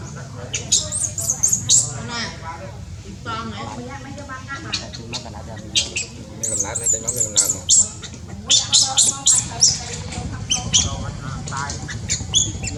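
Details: Newborn baby monkey in Cambodia, born high in tall trees, giving thin, high squeaky cries in irregular bursts, some chirps sliding up and down, with lower harmonic wavering calls and steady background rumble beneath.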